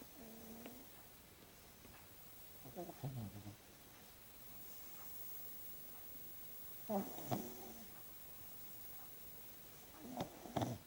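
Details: Sleeping French Bulldog Rocco snoring: four short, rough, grumbling bursts spaced roughly three to four seconds apart, with quiet breathing gaps and faint clicks between them indoors.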